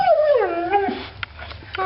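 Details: A pet dog, a female, vocalizing in excitement about another dog outside; a drawn-out tonal howl-like whine sliding downward over the first second, then softer short yips, with a person talking nearby.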